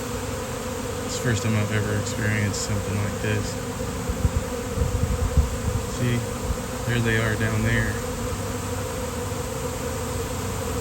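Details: Low, continuous droning of a honeybee swarm on a fine day, steady beneath intermittent human talk and a few sharp handling taps and rustles midway.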